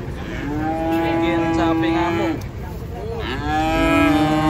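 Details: Cattle being unloaded from a truck at a traditional market in Indonesia: two long, steady, harmonic-rich moos, the second starting after a brief dip, with faint background noise throughout.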